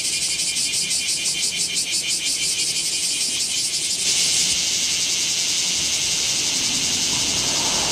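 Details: Bear cicadas singing in Kamo town on 2 August 2026 during a heatwave, filmed with a Z50II camera; a loud, dense, high buzzing chorus with rapid pulsing that shifts to a steady hiss after four seconds.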